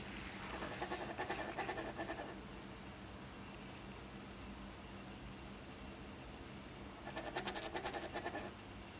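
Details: Siberian flying squirrel named Zhuzhik giving spring trills: two bursts of rapid, very high pulsed chirping, each about one and a half seconds long, separated by roughly five seconds of quiet.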